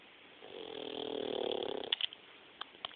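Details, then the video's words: Young pit bull puppy asleep, snoring: one drawn-out raspy nasal breath swelling over about a second and a half, then faint sniffs and small clicks. "Bain snoring"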